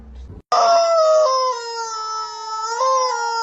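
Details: Cat giving one long, steady, tonal yowl lasting about three seconds. The cry holds nearly level, dips slightly midway, then lifts again near the end. It begins after a brief low rumble and a short silence.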